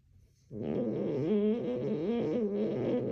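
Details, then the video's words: Leia, a French Bulldog, dream snoring indoors: a loud, harmonic, rattling snore that begins abruptly after a brief quiet start and holds steady with wavering pitch to the end. "Leia The Frenchie CRAZY Dream Snoring!!"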